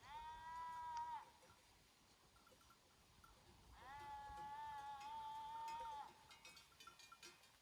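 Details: Sheep grazing with a herd in the Făgăraș Mountains, Romania, giving two long steady bleats, the second drawn out over two seconds, with light bell tinkles behind.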